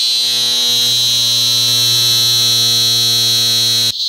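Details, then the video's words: A single cicada singing in Parque Ecológico Macuiltépetl, Veracruz, during a mass emergence after rains softened the ground. It gives a loud, steady, high-pitched buzzing drone with a low hum beneath, held unbroken for about four seconds before stopping abruptly. "Una Cigarra creando su característica vibración sonora"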